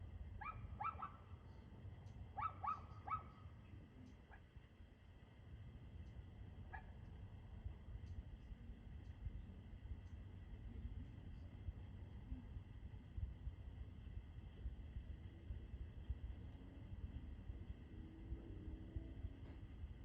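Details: Dog barking at 6:02 pm on 2/6/2024: a quick cluster of sharp, harmonic barks in the first few seconds, then only a single faint bark, over a constant low rumble and steady electrical hum.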